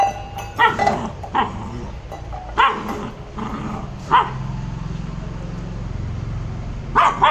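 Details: Maara the Labrador barks in playful anger, single sharp barks spaced about a second apart, then a gap before two final barks, with a low rumbling hum underneath.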